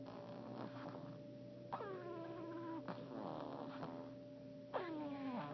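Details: A sleeping female French Bulldog snores with high, whistling squeaks that slide downward on her breaths.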